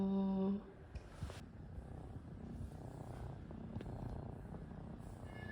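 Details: Domestic cat indoors during a kneading session, giving a continuous low rumbling purr with an irregular pulse. A short steady tone sounds at the start, and faint room noise continues beneath.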